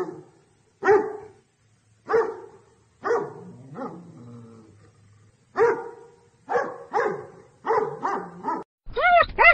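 A dog barks loudly and harshly in repeated bursts, ending with a quick run of yelps.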